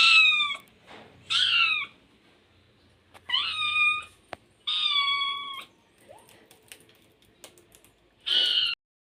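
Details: Cat meowing about five times in loud, tonal cries that rise then fall. Gaps of a second or more fall between them, with a few clicks and faint voices in the background.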